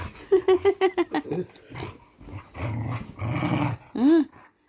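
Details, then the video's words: Pet dog playing indoors at night, giving a rapid series of about eight short, clipped yelps, then rough growling and a final rising-falling whine; a person speaks over parts. "dog sounds"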